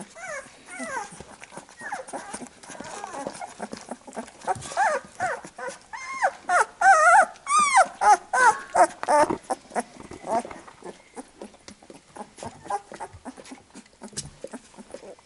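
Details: Labrador Retriever puppies being cleaned by their mother after nursing; a busy tangle of overlapping thin squeaks and short whimpers that swells to loud, wavering squeals midway, then fades to soft scattered peeps and rustling.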